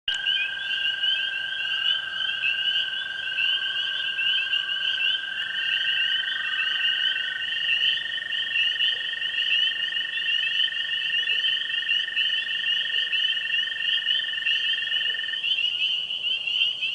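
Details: Frog chorus of tree frogs, spring peepers and green frogs at a pond on a springtime evening: a dense, continuous high trilling band overlaid by a steady lower ringing tone, unbroken throughout, with no other sounds.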